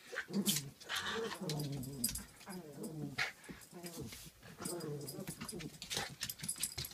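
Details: Pomapoo puppy angrily taking on a playful Pomeranian, low rumbling growls and snarls rising and falling amid scuffling and clicking sounds of play.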